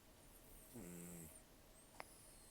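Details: A single rough, rattling snore from Taro, a rescued senior cat of roughly 10 to 14 years who lost most of his teeth to gum disease and long outdoor life, sleeping; a low buzzy breath lasting about half a second, then one sharp click.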